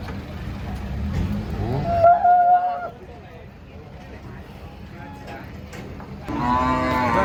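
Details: Large bull coming off a truck, described as fierce. A short, loud, nasal moo is followed by a quieter stretch, then a second harmonic-rich low at the end, with people talking nearby.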